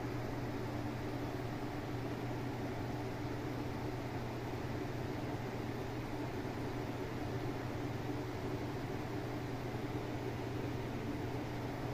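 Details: Steady broadband hiss with a low mechanical hum throughout, like a fan or engine, and no animal voices.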